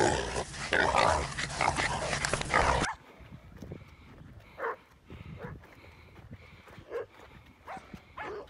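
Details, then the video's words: Jack Russell Terrier barking while boar hunting; after a burst of loud rushing noise in the opening seconds, short sharp barks come in irregular bursts over a quieter outdoor background. "Jack Russell boar hunting"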